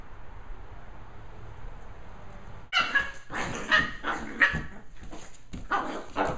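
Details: Lhasa Apso puppies Timmy and Brandi, nicknamed Chewbacca and Ewok at the dog park. A quiet start gives way after nearly three seconds to a burst of sharp, rough barks, fired irregularly in quick clusters until the end, over a steady background hum.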